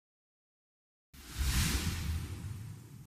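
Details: A second of silence, then a breathy whooshing rush with low rumble.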